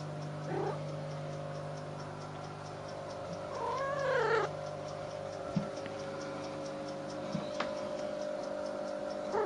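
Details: Kittens looking to make trouble; one kitten gives a single wavering, drawn-out meow with faint shorter mews around it, over a steady electrical hum and background noise.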